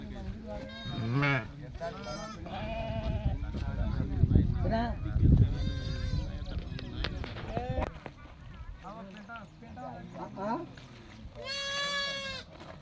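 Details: A flock of 66 sheep with 22 lambs bleats in quavering, wavering calls several times, the clearest near the start, middle and end, while men talk in Telugu throughout.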